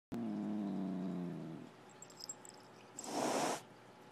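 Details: Pet cat described as a mean, evil little creature: a low, droning harmonic growl lasting about a second and a half, a brief quiet pause with faint clicks, then a short breathy hiss.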